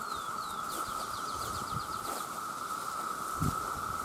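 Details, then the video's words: Loud mating chorus of male cicadas: an unwavering droning whine underlies a bird's rapid series of short descending high notes at the start, plus rustling and a low thump late on. "The Sound of The Cicada"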